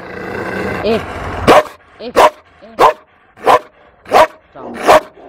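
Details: At the SPA shelter in Toulouse, April 2014, a fearful female Malinois gives six abrupt barks about every 0.7 seconds, with short high whining tones between them after a murmur of background noise.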